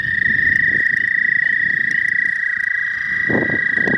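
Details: ['Frogs, the first spring visitors to a pond, recorded on a new phone: a steady, high, pulsing trill holds through the whole stretch, with low rumbling handling or wind noise underneath.']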